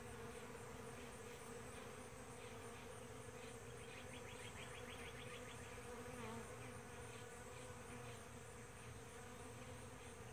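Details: Various bee species nectaring on a powder puff tree at sunrise, giving a steady low humming drone with layered harmonics throughout; a rapid series of high ticking notes runs through the middle, over soft background hiss.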